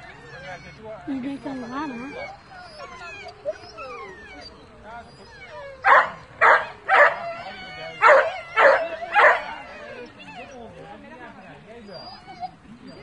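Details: Rhodesian Ridgeback at a dog show, a series of six loud sharp barks in quick succession midway, with people talking in Dutch before and around them.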